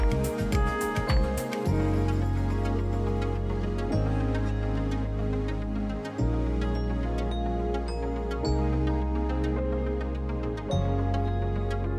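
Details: Instrumental background music with steady low bass notes and soft tones, no animal sounds present.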